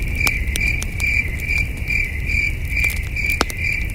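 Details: Crickets chirping at night at a starry camping site beside a campfire, heard in the distance: a steady high-pitched trill pulsing about twice a second, with crackling fire pops and a low outdoor rumble underneath.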